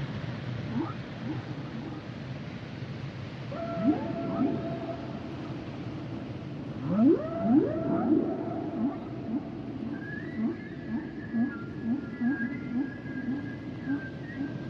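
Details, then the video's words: Singing humpback whales heard underwater, upswept moans and higher tonal wails layered together, then a run of short pulsing grunts beneath long high whistles, steady sea hiss throughout. "Sounds and Songs Of The Humpback Whales"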